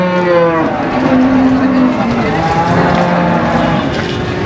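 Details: Cattle at the Warujayeng cattle market on 28 November 2019, where breeding heifers are for sale. Low, drawn-out moos rise and fall over several seconds against a busy market background with steady crowd noise.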